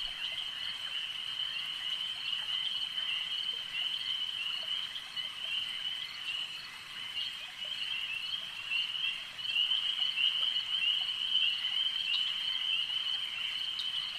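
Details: Many frogs at a lake chorus together in a shrill, steady trill, growing slightly louder partway through, with rapid overlapping chirps and a faint hiss of moving water.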